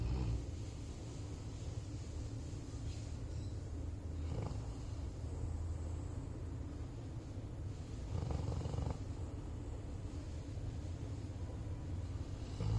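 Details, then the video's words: Sleeping black Labrador Retriever kept as a pet, heard as a continuous low droning breath with two louder snorting snores, one near four seconds and a longer one around eight seconds. "Black Labrador Snoring To Glory"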